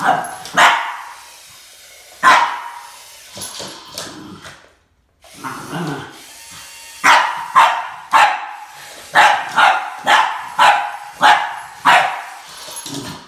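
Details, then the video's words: Barking from Max the Boston Terrier as he confronts a snake, scattered sharp barks early, then a steady volley of loud barks about twice per second. "BOSTON TERRIER MAX Vs SNAKE ~ There can only be one boss"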